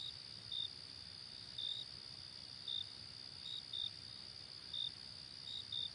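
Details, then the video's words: Night-time cricket chorus, a continuous high-pitched trill beneath brief sharp chirps recurring roughly every second, some paired closely together; quiet background otherwise. "Crickets Chirping Sounds"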